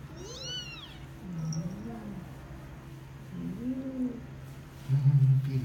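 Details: A Persian cat giving birth to her kittens gives a series of drawn-out, wavering meows over a low, steady background hum.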